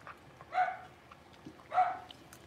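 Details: Six-week-old blenheim Cavalier King Charles Spaniel puppies, a litter of five born on New Year's, in their home puppy pen: two short, high yips with bright harmonics, spaced about a second apart, over faint clicks and rustling.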